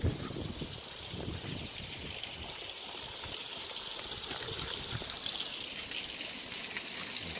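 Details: Steady rushing and trickling water fills the whole stretch, a bright continuous hiss of a stream outdoors with no animal calls.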